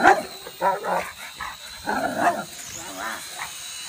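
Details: A Rottweiler gives a string of deep, harsh barks at a toy drone invading his air-space, the drone's steady high mechanical whine beneath.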